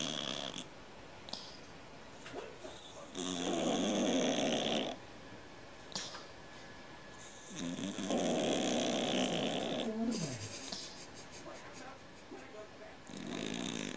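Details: A pet cat, said to snore like a man, gives long rough snores of about two seconds each, spaced some four to five seconds apart, a rumbling rattle topped by breathy hiss in a quiet indoor room.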